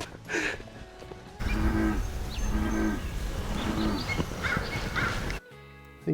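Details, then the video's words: An American bullfrog at a lake on Mt. Tam, Marin County, California, gives three deep, droning, cow-like moos about a second apart, super loud, with faint chirps and outdoor noise behind. "Yes, it was. It was an American bullfrog making those super loud noises."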